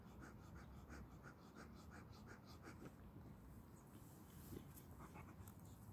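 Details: Aki, a 13-month-old Boxer puppy, tired after play, panting softly in an even rhythm of short, breathy puffs over a quiet background hiss.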